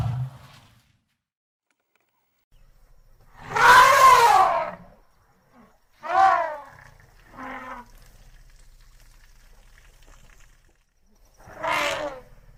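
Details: Asian elephant (Elephas maximus), trumpet call.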